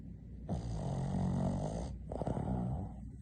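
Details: A napping female Boston terrier gives one long, rumbling, buzzy snore lasting over a second, followed after a short pause by a second, shorter snore.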